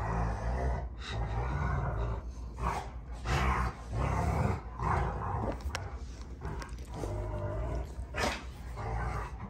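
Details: Two Rottweilers, June and Kenai, play fighting on a ranch homestead: deep, rumbling growls come in repeated rough bursts with harsher snarling surges, steady and low-pitched across nearly ten seconds of scuffling.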